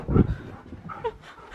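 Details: Key, a Siberian Husky, mid-zoomies indoors near a frisbee: a low thud followed by short high whimpering whines rising and falling, soft shuffling between.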